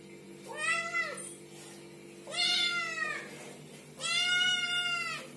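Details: Baby kittens meowing: three clear, arching meows roughly every one and a half seconds, the last one long and level, rich in harmonics over a faint constant hum.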